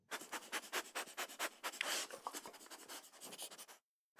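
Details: Dog sniffing: rapid, quiet, breathy snuffles at roughly two per second, a steady train of short sniffs and one longer exhale before falling silent.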